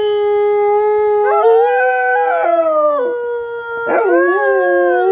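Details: Two inseparable Alaskan Malamute cousins born three days apart, one 125 pounds and one a 65-pound runt, howl together in long, smooth tones that rise and fall.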